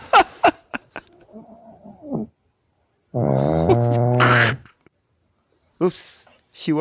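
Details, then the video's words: Pug snoring in its sleep, with one loud, deep rattling snore lasting over a second, preceded by softer wheezing breaths and followed by short sniffy sounds and clicks. "Snoring dog never gets angry. 코 고는 강쥐는 화를 안 낸다."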